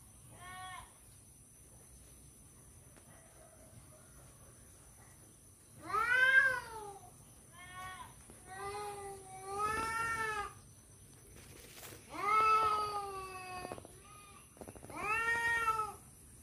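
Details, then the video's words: Fighting cats contest a female with a series of arched, moaning yowls and shorter wails spaced a few seconds apart, each bending up then down, over a faint steady high hiss. "suara kucing berantem rebut janda"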